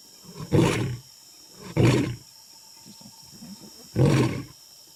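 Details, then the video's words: Huge lion recorded up close, giving three short, deep, rasping roar bursts, each under half a second, spaced about one to two seconds apart, with quiet low rumbling between them. "HUGE LION UP CLOSE ROARING"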